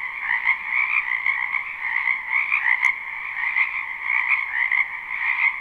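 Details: Wetland frogs croaking in spring, a dense chorus of rapid pulsed trills rising and falling slightly, with one sharp click near the middle.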